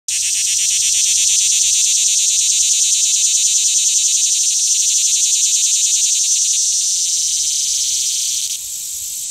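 A cicada sings a loud, continuous, high-pitched buzzing drone that holds steady before dropping off near the end.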